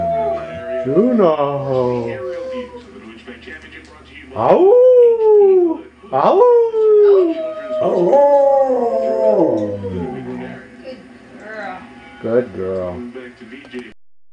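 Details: Husky answering its family with a string of howls and yodel-like yips, each sharply rising then sliding down, some brief and choppy, others sustained for a second or more.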